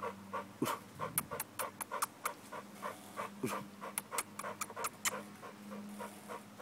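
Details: Panting American bulldog working out to build muscle: breathy bursts come in uneven runs, broken by crisp clicking taps and a faint low hum throughout.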